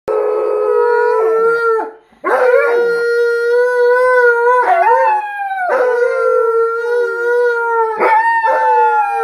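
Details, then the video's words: Alaskan Malamutes howling together with a Blue Bay Shepherd, three dogs in all: long sustained tonal howls near one steady pitch, overlapping voices with brief rising and falling slides, one short pause near two seconds. "Howling Malamute's & A Blue Bay Shepherd"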